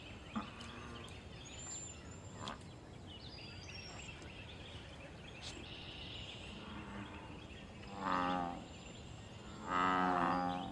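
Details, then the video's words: American bullfrog calling in the wild at a pond, where calls serve mating, territory and fights; after a stretch of quiet hiss with light bird chirps, two resonant low bellows sound near the end, about two seconds apart. "Bull frog call loud sounds and fight"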